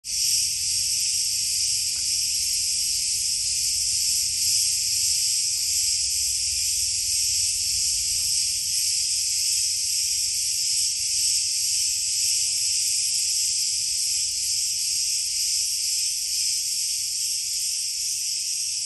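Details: A chorus of cicadas in Rethymno, Crete, Greece makes a loud, continuous, high-pitched hissing buzz that holds steady throughout, many insects blending into one dense wall of sound.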